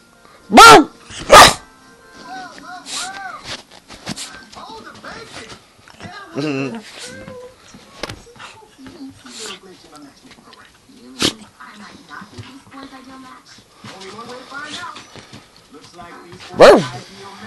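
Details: A Shiba Inu lounging around the house gives sharp, explosive sneezes, two close together at the start and one near the end.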